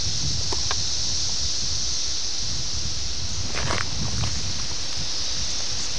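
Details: 17-year periodical cicadas of Brood X emerging in June, recorded June 18, 1987 at Ayersville, Ohio on a VHS camera; steady high droning chorus runs throughout beneath heavy wind rumble and rustling leaves.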